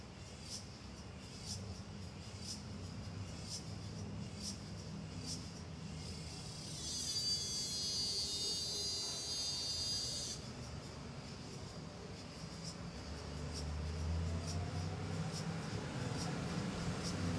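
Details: Suburban ambience: cicadas tick in high, evenly spaced pulses with a dense buzzing burst partway through, over a quiet rumble of passing cars.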